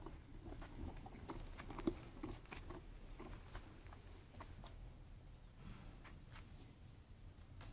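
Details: Sheep feeding, with brisk crunchy clicks repeating at an uneven pace, about two to three per second, one louder snap early on, fading slightly toward the end.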